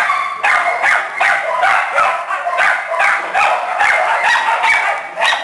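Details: Small dogs and puppies in a shelter kennel yapping together, a dense overlapping chorus of sharp, high barks repeating about two to three times per second with no pause.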